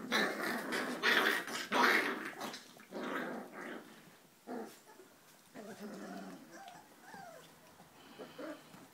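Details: H-litter Giant Schnauzer pups, four weeks old, start with loud rasping growls and a squeal, then fade into quieter wavering whines and soft grumbles.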